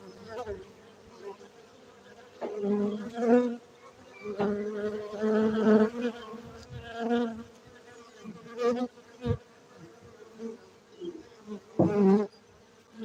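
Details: Honey bees at a Gayo beekeeping site in Aceh, Indonesia make a low, harmonic buzzing hum, with several overlapping fly-past surges and short sharp swells scattered through the recording.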